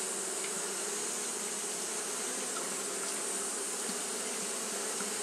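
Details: On a hot day, Japanese honey bees keep fanning, producing an unbroken buzzing drone rich in low tones, with a steady sharp hiss running high above it.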